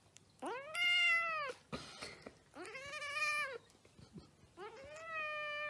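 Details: Domestic cat giving three drawn-out, arching meows, each rising then falling in pitch over about a second, with rich harmonics and short quiet gaps between them. Faint hum sits underneath.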